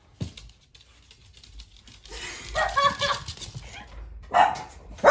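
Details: Dachshunds in a level-up challenge; a short yip at the start, then a cluster of rough, noisy barks midway, another sharp bark near four and a half seconds and a final one at the end, with quieter rustling between.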